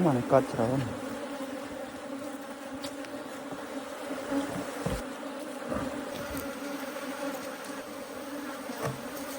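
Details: Honey bees at hives being harvested for honey in Korea, about a month after the nests were set up: a steady low droning hum throughout, with brief speech at the start and scattered handling clicks.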